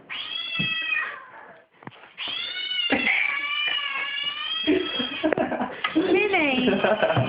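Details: Pet cat freaking out indoors while a screaming cat noise is played, as the other cat brings in a dead baby bird; long, harmonic, wailing meows with rising and falling pitch, some overlapping, amid excited human voices.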